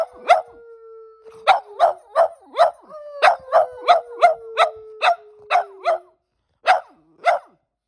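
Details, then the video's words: Pet dogs, Percy the black and white Boston Terrier and Bear the German Shepherd-Black Lab mix, coaxed indoors to howl back at a human howl; long steady falling tones run beneath a quick series of sharp barks. "Dogs Responding To My Human Howl"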